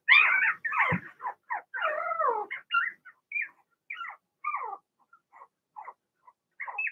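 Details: Young Blenheim Cavalier King Charles Spaniel puppies, a litter of six in a home puppy pen during potty training, give a loud opening whine, then a string of short high squeaks and yelps that fade and thin out.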